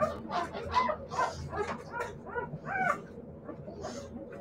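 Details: Siberian Husky puppies letting out short, irregular yips and whimpers, several quick squeaky cries in a row that fade into quieter shuffling near the end.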